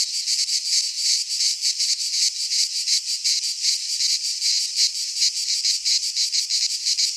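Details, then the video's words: Continuous rasping cicada chorus from a pine forest in Greece during midsummer, high and sizzling, swelling in rapid rhythmic throbs with no other sound. "Cicadas singing in midsummer - Nature sounds from the Greek fauna - Sounds of cicadas"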